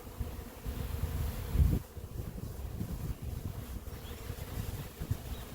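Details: Swarming honey bees from an apiary hive, airborne near tall trees before settling; steady low buzzing drone throughout, with a brief loud thump near the start and light wind in the background.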